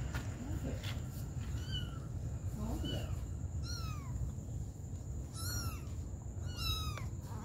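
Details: Domestic cats, a mother cat tending her baby kittens: about six high, thin, sharply arched mews come at irregular intervals, some stacked with bright overtones, over a few faint lower squeaks and a steady low hum.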